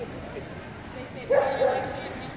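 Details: A Keeshond at the Rocky Mountain Keeshond Club 2019 juniors event barks twice in quick succession, a clipped double bark midway through, with people talking quietly around it.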